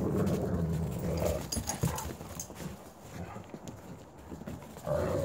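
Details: Low rumbling growls and panting from Coco, a white wolfdog, as her brothers Jake and Bob pick on her in play, with scuffling and a snarl rising near the end.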